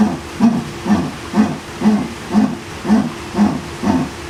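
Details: Jaguar, a big cat, making strange sounds: a series of deep, hoarse grunting pulses, about two per second, evenly spaced like sawing wood.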